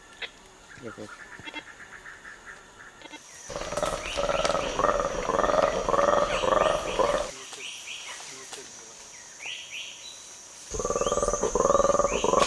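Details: A black-and-white colobus monkey's long eagle alarm call, a rapid series of throaty, repeated pulses, is played back to a feeding group of chimpanzees, which ignore it.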